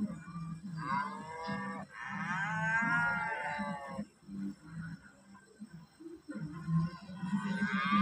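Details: Loud, shrill water buffalo calls: a long, bright, wavering harmonic bellow in the middle, a shorter one at the start and a rising call at the end, over steady rhythmic music throughout.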